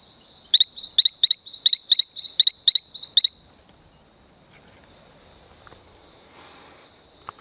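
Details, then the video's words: Calling male Talamanca rocket frog on Isla Colon near Playa Bluff, Bocas del Toro, Panama. About nine short, sharp, rising chirps come in a quick run over three seconds. A steady high insect whine continues throughout. "Calling male Allobates talamancae"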